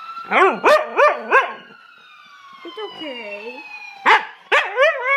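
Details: Dog howling in short, wavering, arched notes delivered in quick bursts of three to four, pausing, then resuming, over a long, steadily falling siren-like tone in the background.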